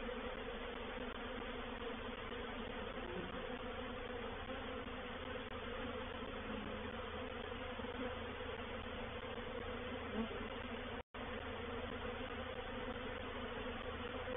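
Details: Dense, unbroken roar of a reproductive honey bee swarm moving into a bait hive at Painted Peacock Manor on 04/07/21. Many wingbeats merge into a thick, even drone with a steady low hum beneath, and a brief dropout near the end.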